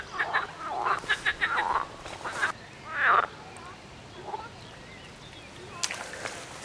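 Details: Frogs calling in a short nature film: a run of quick, pulsed, quacking croaks in the first two and a half seconds, one louder croak near three seconds, then quieter scattered calls over a faint background hiss.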